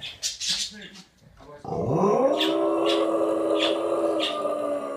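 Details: At a beach, an English Bulldog, after brief human speech, gives a long, drawn-out howl that rises then holds steady, howling along with a seal, with birds also calling.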